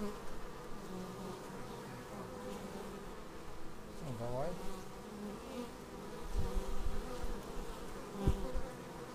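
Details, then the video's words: Bees flying in to land at a beehive, captured on an action camera: layered low wing hum with a single bee sweeping close, its buzz bending down then up in pitch, plus brief thumps. "Bees arriving at hive"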